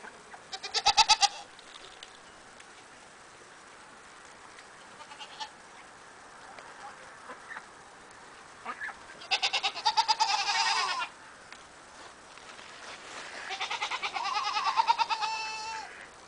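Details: Cameroon goats bleating, three separated tremulous bleats, one brief and sharp early on, then two longer wavering ones a few seconds apart, against a quiet background with faint rustling.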